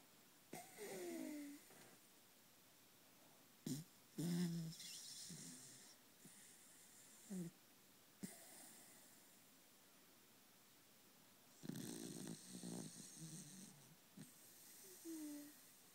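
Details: A male Pembroke Welsh Corgi snores, with low rasping breaths and occasional wheezy, whistling exhales.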